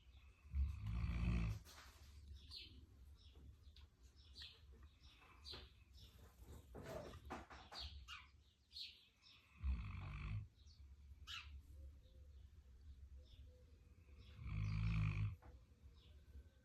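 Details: Central Asian Shepherd Dog named Bublik snoring: three deep, rumbling low breaths spaced about four to five seconds apart, with faint scattered household sounds between them.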